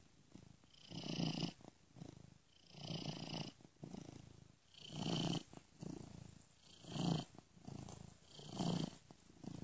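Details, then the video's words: Sleeping domestic cat purring, a looped recording moved between ears by software; steady low rumble pulsing in roughly five waves, each swell lasting about a second with a soft airy hiss above it. "Cat Purring Gently Ear to Ear"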